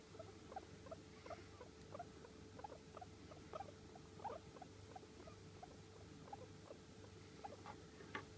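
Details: Pet guinea pig with long hair, American Silkie or Sheltie, calling quietly: a soft run of short squeaks, about eighty-six per minute at uneven spacing, continuing throughout over a steady low hum.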